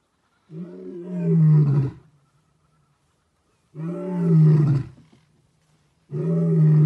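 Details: A giant male lion gives deep, powerful roars while walking past a vehicle, each roar swelling for over a second before fading.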